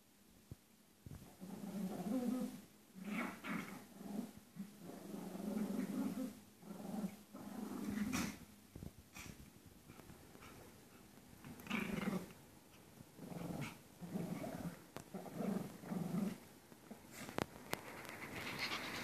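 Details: Two Pomeranians play-fighting at close range, low rapid growling and panting snarls in quick repeated pulses, fairly quiet with a hissy background.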